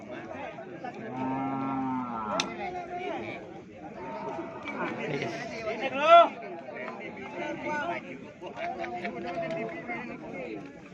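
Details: Cattle at Pasar Keppo market, Pamekasan, before Eid al-Adha: a low, droning moo of just over a second rises from a bustling crowd, with people talking and calling throughout and a sharp knock midway.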